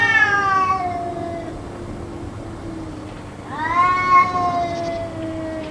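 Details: Two long, moaning cat yowls, possibly a quarrel, heard during roughly two hours of continuous calling; each howl bends up and slowly falls, separated by a pause of about two seconds, with a faint steady background drone.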